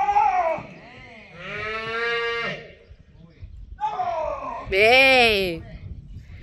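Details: Female calf at a private bullfighting school during bullfighting training; drawn-out harmonic bawls, one steady and another arching up then down, separated by quiet gaps, with voices nearby.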